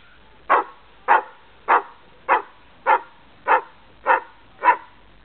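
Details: Greyhound among a group of ten dogs at play during a family visit: eight sharp, evenly spaced barks, roughly one every 0.6 seconds, each short and bright with no other sounds in the background.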